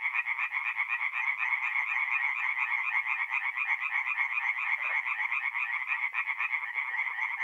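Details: Tree frogs in chorus by night at a north-east Italian forest pond in mid April: rapid rasping croaks stacked densely, about four pulses a second in the foreground, continuous and loud.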